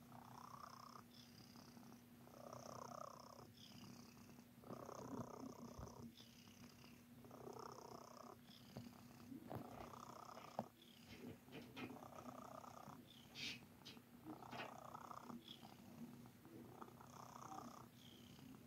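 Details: Pet cat purring contentedly while kneading with its paws, making biscuits; a continuous low rumble swells in regular pulses about every one and a half seconds, each breath cycle clearly audible, in a quiet room.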